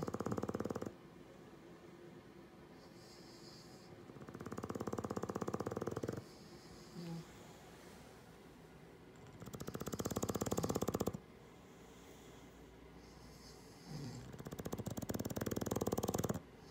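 An English Bulldog snores in loud, rattling bursts that return about every five seconds.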